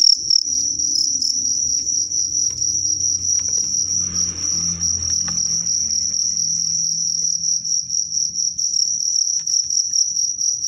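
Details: Cricket fight, strong sotang cricket against a crazy cricket: continuous shrill pulsed chirping at high pitch, a brief low murmur near the middle, faint knocks in the background.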